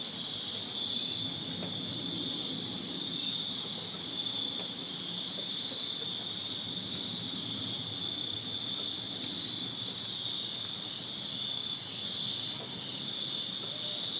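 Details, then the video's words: Backyard crickets on a summer night in Virginia keep up an even, high, ringing trill with no breaks, a constant shimmering wall of sound above a quiet low background hum. "Crickets Chirping Summer Night in Virginia"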